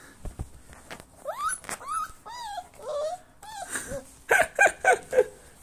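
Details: Siberian Husky puppy with short legs, upset at failing to climb onto a bed, gives drawn-out whining cries that slide up and down, then a quick burst of four sharp, yelping squeals at the close, in a small room.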